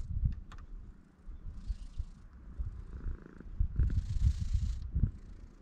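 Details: Stray cat on a cat island under a blue sky, purring in a low, pulsing rumble with uneven swells of loudness; brief hissy rustles and faint handling noises are heard over it.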